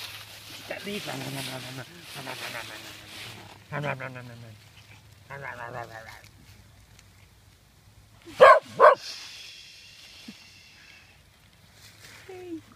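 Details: Pet dogs Pyper, Butterball and Looey romp and scuffle in autumn leaves outdoors, two ganging up on Pyper; after stretches of a man talking, two loud sharp barks burst out close together, then rustling leaves and a faint whine follow.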